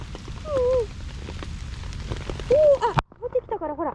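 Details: Stray cream tabby kitten named Nekota in a forest on a heavy rainy day in Japan's rainy season, answering when spoken to: two drawn-out falling meows with a woman's voice close by and steady rain.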